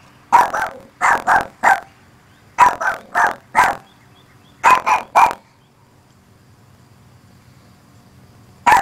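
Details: Luci, a Maltese, barks at her own reflection in a church, taking it for another dog: rapid bursts of two or three high, sharp yaps, repeated in clusters, then a pause and one final bark.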